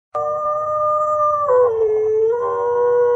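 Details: A dog howls in one long, sustained, harmonic note that holds steady, dips lower midway, then rises again toward the end, with a faint low hum underneath.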